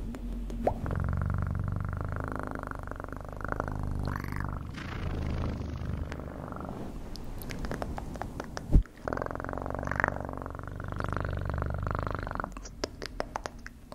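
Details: Pet cat purring in long low rumbling phrases that rise and ease off with each breath, one loud thump midway and scattered soft rustles and clicks between phrases.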